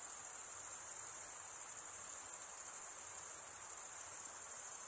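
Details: Steady shrill trilling of crickets, high and unchanging in pitch, with a light fast pulse and a muted, even hiss underneath.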